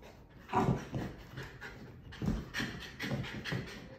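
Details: A female Bull Terrier puppy, having buried her toy in the couch, pants and snuffles in quick, uneven, breathy bursts with faint whimpers while trying to dig it back up; soft rustling and thumps mix in between the breaths.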